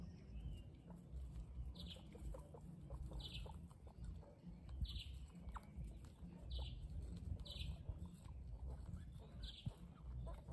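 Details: Guinea pig calls: brief high squeaks repeated about every one and a half seconds over a constant low rumble, with faint rustling and clicking between them.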